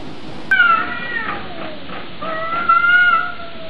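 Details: Two short, clear meows from a cat about two seconds apart, each starting high and sliding slightly downward, over a quiet background hiss.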